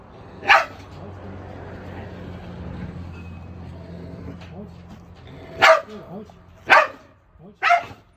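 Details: Biting, aggressive Jindo-mix shelter dog in Ulsan, Korea: one sharp bark, a long stretch of low hum and murmuring, then three more loud barks close together near the end.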